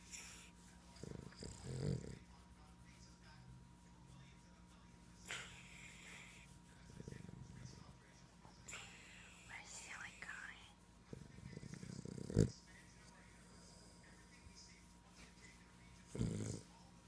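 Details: Boston terrier Elvis lies snuggled and stretched out, snoring in short low rasping breaths that recur every few seconds, while a person whispers and murmurs softly nearby in a quiet room.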